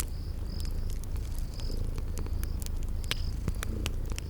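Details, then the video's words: Low continuous purring from sleeping kitties, mixed with scattered fire crackles and short high cricket chirps in a spring garden ambience. "Relax with Cute Sleeping Purring Kitties by a Crackling Fireplace"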